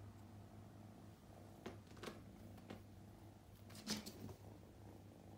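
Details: Indoor purring from a playful male Scottish Fold kitten with upright ears, called Luca or Ru-kun, born 8 May 2021, on his second day with his family; an even, low humming rumble with scattered soft knocks and rustles.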